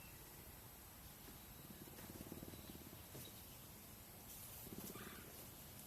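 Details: A male cougar at a big cat sanctuary, rescued as a cub in Idaho, purrs in a low, rapid, rumbling pulse that swells and fades in soft bursts.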